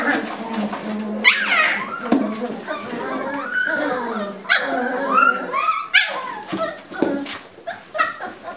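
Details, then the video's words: Puppy pen scuffle among Lagotto Romagnolo puppies: sharp squealing yelps and rising whines burst out between lower grumbling growls, tangled and overlapping, while people talk in the background. "Nahistelua pentuaitauksessa"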